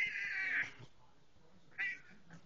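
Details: Buster, a pet cat, talking as his owner comes home: a long, drawn-out meow with bright layered tones that slides slightly downward, then a shorter second meow a second later, with a person chatting to him in a small room.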